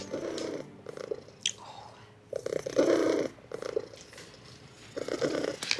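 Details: Thin, underfed male domestic cat at a vet clinic purring loudly while the vet listens to his chest, the purr drowning out his heartbeat; low rumbling bursts come in waves, mixed with handling noises and rustling.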